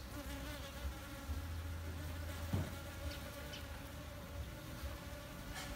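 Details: Continuous humming drone of honey bees, captured with a D610 full-frame camera, holding a level mid-low tone throughout with a short low thump just past two and a half seconds.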